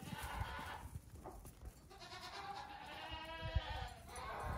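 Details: Baby goats about two weeks old out for morning play on a farm; two or three long, wavering bleats sound over background rustling and occasional knocks.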